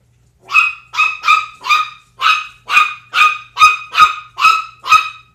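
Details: A pitbull and a 10-week-old Chihuahua puppy together indoors; a run of sharp, high-pitched yipping barks, about eleven in five seconds, each short and bright with a slightly falling tone and brief gaps between.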